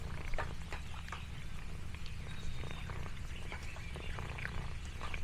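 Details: Lexi, an orange tabby cat exploring a countryside farm, purrs contentedly: a steady low rumbling throb runs throughout, overlaid with scattered crisp crackles like crinkling leaves.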